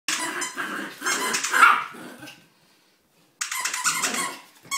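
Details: A 13-week-old Bichon Frise puppy gives a run of high, squeaky little barks and yips.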